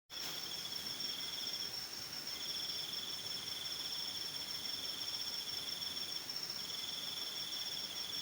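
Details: During rain with lightning, crickets sing a steady, high, shimmering trill over the hiss of falling rain, with passing vehicles.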